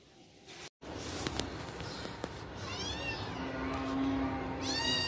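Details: Kittens playing hide and seek, heard as a short run of high, arching meows that rise and fall, with a sharper cry near the end, over steady low background noise and a few soft knocks.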